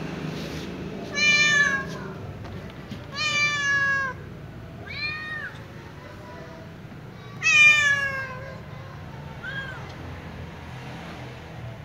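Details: A small ginger kitten calls repeatedly as if speaking to its mother, giving five separate meows about two seconds apart. Each is bright and harmonic-rich, with some louder and longer and others short and fading, over quiet background noise.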